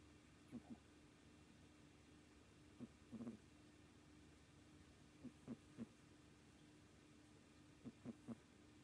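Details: A 3.5-month-old kitten weighing 2.75 kg, deep asleep, making odd snoring sounds: faint, short paired low snorts recurring every two to three seconds over a steady hum.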